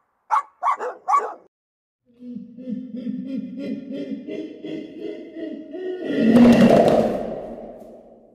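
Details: Dog heard in a short burst of three quick, rough barks, then a long, wavering, tonal whine that swells and finally breaks into a louder, harsh, noisy cry.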